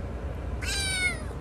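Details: Kitten giving a single bright meow, about half a second long with rich overtones, starting high and falling slightly at the end, over steady low room hum.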